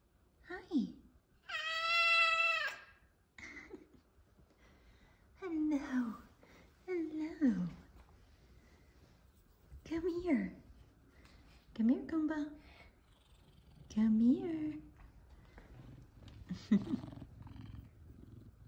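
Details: Two F2 Savannah cats meowing happily to greet their owner just home from work; one long, loud, tonal meow stands out early, among repeated short greetings spoken by a woman.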